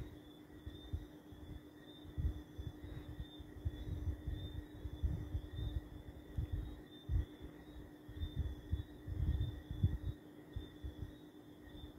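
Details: A steady low hum with a soft throbbing rumble and a faint high whine runs throughout, with no animal voice.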